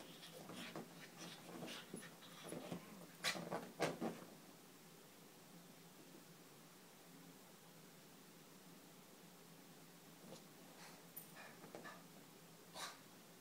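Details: A small Boston Terrier Chihuahua mix dog, in its everyday crazy spell, pants and snuffles in quick, uneven bursts, then falls quiet.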